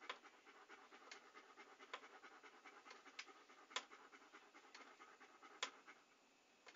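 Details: Close-up dog panting for relaxing ASMR listening: a continuous breathy hiss with rapid, uneven puffs, punctuated by sharp mouth clicks and licking smacks, two of them standing out clearly before fading to a quieter rustle.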